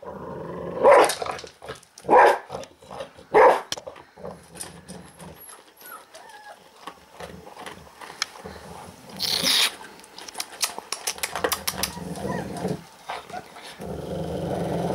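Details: A dog angry over its food gives three sharp, harsh growling barks about a second apart, followed by quieter chewing, clicking and shuffling sounds.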